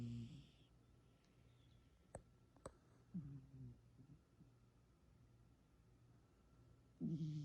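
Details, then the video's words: A female cat asleep and dreaming gives short, low snoring breaths at the start, middle and end, with two sharp clicks in the quiet stretch between. "Hai I am snore and I cat"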